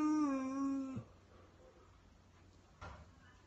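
A Weimaraner gives a drawn-out, tonal whine that holds steady and then drops off sharply.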